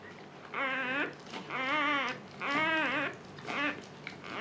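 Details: A female Siberian Husky named Luna giving birth for the second time. Four drawn-out, wavering whines, each close to a second long, with brief pauses between them in a quiet room.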